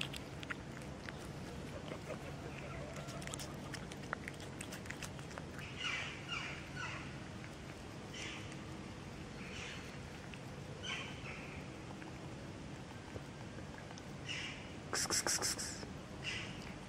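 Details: Two cats, a tortoiseshell and a calico, meowing on the street: a series of short, high-pitched meows scattered irregularly through the recording, with a brief louder burst near the end, over steady low outdoor background noise.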